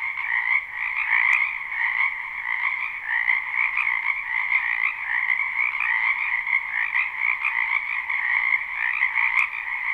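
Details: Croaking frogs fill a spring wetland near a home, captured live and unlooped: thick, continuous pulsing chorus with slight swells in loudness, two stacked pitch bands, a single sharp click early on.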